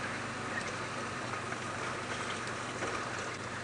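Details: Continuous broadband hiss resembling rain or a running vehicle fills the recording, over a faint low engine hum. No animal voice stands out.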